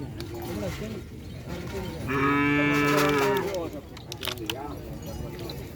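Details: At a silaturahmi event, a small head of cattle gives a single sustained, level moo of about a second and a half, rising out of busy background talk from gathered people.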